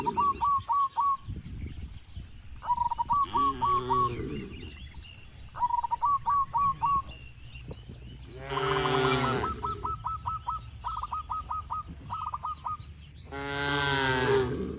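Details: Cattle penned on a livestock farm moo in three drawn-out bursts. Between them, rapid bursts of short, high chirps repeat in quick series throughout.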